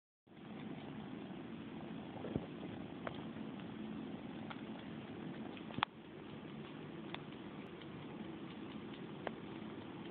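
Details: Kitten named Dynah nursing on a bunny toy, giving a steady, low, rumbling purr that runs throughout, with a few soft clicks and taps scattered over it.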